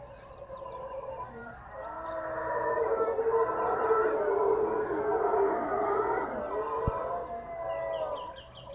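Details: Howler monkeys at Jungle Land, Panama, roar in a deep, droning chorus that swells and fades like a distant wind.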